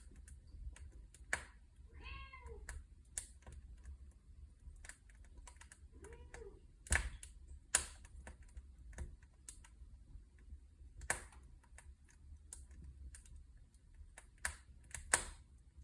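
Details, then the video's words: Cat beside a crackling fireplace gives two short, arched meows, one near the start and one mid-way, while sharp pops and snaps of burning wood ring out throughout over a low steady rumble. "Kaminfeuer Katze Kamin Cat fireplace cat’s noise"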